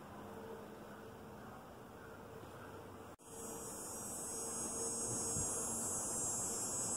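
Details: Cicadas in a backyard: a steady, shrill, high-pitched buzzing drone starts abruptly midway and holds unbroken to the end, over a faint low hum.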